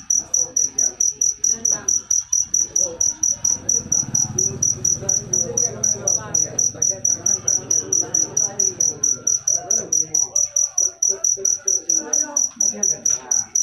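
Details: Cricket chirping steadily, a bright high-pitched pulse repeated rapidly and evenly, roughly three to four per second throughout, over a faint murmur of voices and low rumbling in the background.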